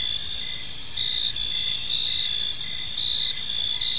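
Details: Crickets chirping on an evening in a peaceful park, a dense steady high-pitched trill layered in several bands with faint pulsed beats, continuous throughout, with a low rumble of background noise beneath.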